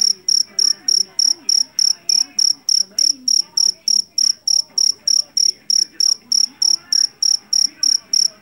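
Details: A field cricket from a rice paddy, jangkrik Jawa, famed for its loud call, keeps up an even chirping. Crisp, high pulses tick along at roughly three per second, with soft, indistinct sounds in the background.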